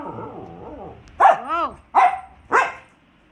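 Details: Pet dog barking at a cat outside, three loud barks about half a second apart, the first followed by a rising and falling whine, with a person's voice just before.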